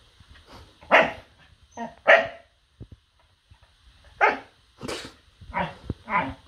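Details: Dog named Noodles barking in short sharp bursts, two barks close together then a pause and four more in quick succession, with quiet low rumbling between.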